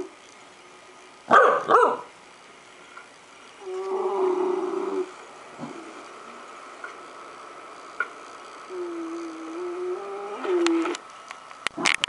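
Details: A dog, startled by playback of a recording of itself sleeping and snoring, reacts with two loud, harsh barks early on, followed by lower drawn-out tonal whining sounds and quieter stretches indoors.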